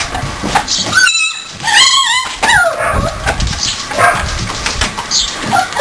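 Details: A 4-week-old Siberian Husky puppy play-fighting with littermates gives high, wavering whines and sharp little yips in quick bursts.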